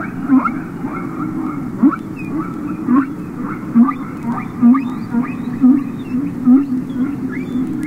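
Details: Underwater song of humpback whales from the Capitol Records ST-620 recording: a run of short upsweeping squeaks repeated about once a second, each with a brief low grunt at its base, above continuous rumbling ocean noise.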